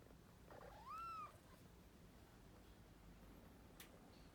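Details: A single brief, arched meow from one of two sleepy kittens that refuse to wake up, rising then falling, followed by quiet room hiss.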